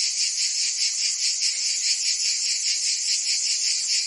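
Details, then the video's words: In Provence, France, cicadas sing on a summer day: a harsh, high, continuous buzz with a slightly slower pulsing throb, steady in loudness from start to end. "Cicadas singing in France (Provence)"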